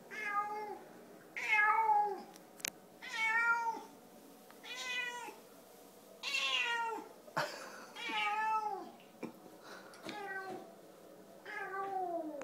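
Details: A Siamese cat gives a run of loud, drawn-out meows, each bending downward at the end and sounding like "ouch"; its owner feels it is trying to say something.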